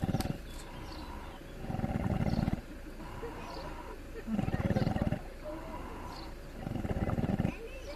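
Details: Deep, gravelly snores from a sleeping pig at Cefn-Yr-Erw Monkey Sanctuary, South Wales: three long rattling inhalations about a second each, spaced over two seconds apart, with soft birdsong and quiet murmurs between.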